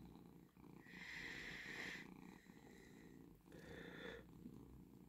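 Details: Relaxed domestic cat lying and purring early in the morning, after waking its owner at 5 am to ask for food; steady low rumbling purr with two brighter, louder stretches around one to two and four seconds.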